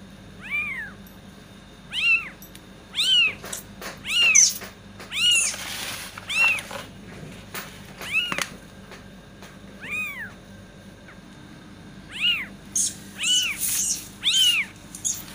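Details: Kitten meowing to attract cats: a run of high, arched meows, each rising then falling, spaced roughly one to two seconds apart, some short and clipped, with brief clicks and scratchy noises between calls.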